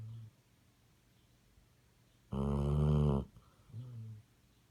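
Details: Basset Hound snoring indoors: one loud, rasping, low snore lasting about a second, followed by a softer, lower rumbling breath, with quiet room background between.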